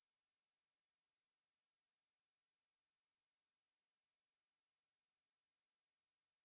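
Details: Maeburi, a Ruspolia katydid, recorded in 2020 by the National Institute of Biological Resources: a continuous thin high-pitched hiss-like buzz, even and sustained from start to finish, alone in a quiet background.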